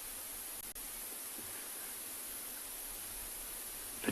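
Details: Steady broadband hiss of outdoor noise with faint rustling and a brief knock near the end; no animal voice stands out.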